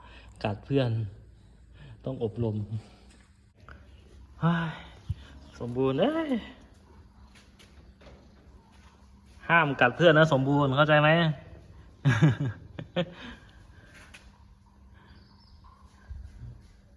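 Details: Pet cats fighting each other at home, giving low wavering yowls in bursts: short growls early on, then a long quavering yowl near the middle and a final burst, with quiet gaps between.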